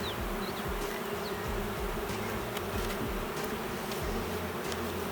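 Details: Colony of honey bees with plenty of honey yet not a single brood frame, possibly without a queen: a continuous low hum of the hive, with a couple of faint bird chirps early on.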